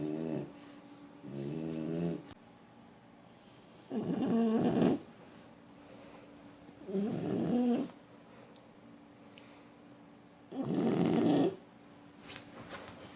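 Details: Sleeping French Bulldog snoring indoors, rhythmic rasping snores lasting about a second, repeating roughly every three seconds, with a woman's voice softly speaking at the start.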